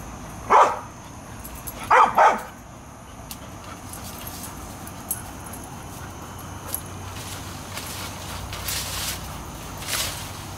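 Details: Airedale Terriers Bailey and Lexie patrolling a yard for varmints; one loud bark, then a quick double bark, followed by quieter scattered sounds and a faint distant bark near the end.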